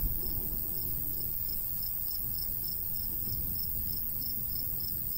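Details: Rural summer cricket sounds beside a wheat field. Regular bright chirps recur roughly three per second above a low, constant murmur of light wind.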